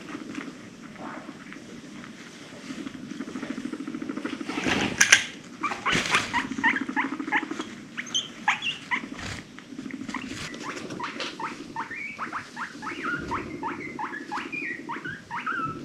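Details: Female pet guinea pig in a noisy, excited mood, rumblestrutting and purring, then a quick run of short squeaky wheeks near the end, with handling clatter and bumps midway.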